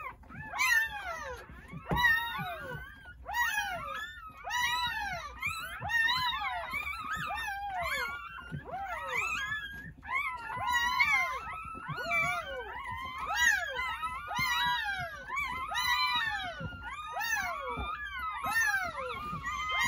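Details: Nine newborn Jindo puppies, born at a rural home on New Year's Day between 8:30 am and 1 pm, cry together in a steady chorus of high, squealing whines.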